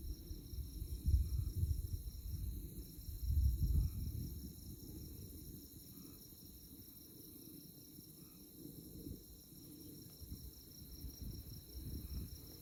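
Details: Night insects chirping under moonlight on the Konza Prairie tallgrass near Manhattan, Kansas, a thin, high, evenly pulsing drone that never stops, while gusts of wind rumble low, strongest in the first four seconds.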